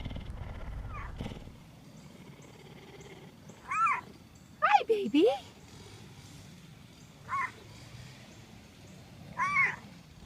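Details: Captive cougars at a big cat sanctuary, the largest cat species that can still meow and purr, give several short, high, bending meows and chirps, one swooping down then sharply up.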